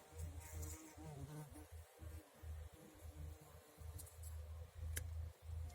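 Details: A bumblebee in a garden buzzes strenuously while collecting nectar. Its low droning hum swells and cuts off in short bursts about every half second, over a quiet outdoor background.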